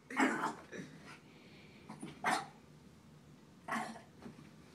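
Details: Small Shih Tzu barking at a frog: three sharp, harsh barks, about two seconds apart, with softer, fainter sounds between them.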